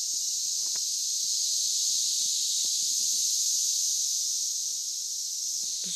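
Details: A dense, loud Oklahoma emergence of periodical cicadas, which surface every 17 years, recorded June 9, 2013. A continuous high, static-like hiss holds almost level throughout, with faint scattered low ticks and a trace of voices underneath.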